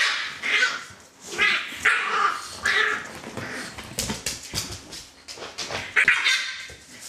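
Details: Yelping and whining from the dogs of Litter A, Celtic Mist: a few drawn-out high squeals at the start, then quicker clipped yaps and scuffling before one more thin cry near the end.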